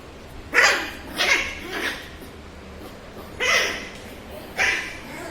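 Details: A Shih Tzu puppy, apparently angry at being recorded, gives a string of short, sharp, high yapping barks.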